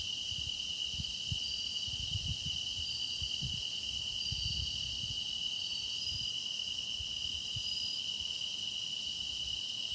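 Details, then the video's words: A chorus of grass insects sings for meditation, an unbroken ringing trill with thin higher tones drifting over it. Faint low rumbles sit beneath. "깊어가는 풀벌레 노랫소리"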